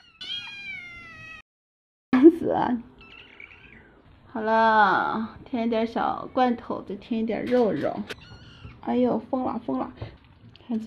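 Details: Several kittens, excited at the sight of meat, cry together for food: drawn-out, wavering meows that rise and fall, some long and strained, mixed with a woman's speech between and over the calls.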